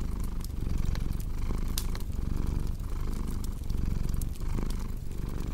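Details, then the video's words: Purring cat with cozy fireplace ambience for deep sleep: a deep, even rumbling purr pulsing in regular breath-driven waves, with bright irregular snaps and crackles from the fire throughout. "Purring Cat with Cozy Crackling Fireplace Sound"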